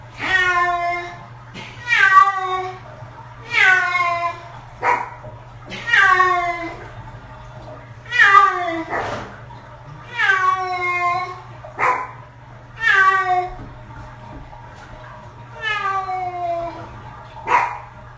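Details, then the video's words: Pet cat, six years old, meowing through its first bath indoors: a steady series of about ten short, rising-then-falling wails, roughly one every two seconds, with a constant low electrical hum underneath. "Cat Bath Audio Only"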